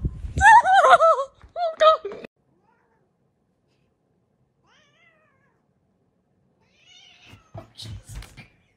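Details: Domestic cat caught in a funny pet compilation, letting out a loud wavering meow followed by a shorter second one, then silence, with human laughter and talking near the end.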